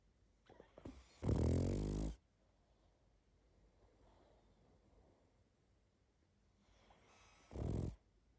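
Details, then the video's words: Snoring from a sleeping pug: a snuffly lead-in, then a heavy, rattling snore lasting almost a second, a long quiet pause, and a shorter, softer second snore. "Храп и сопение мопса"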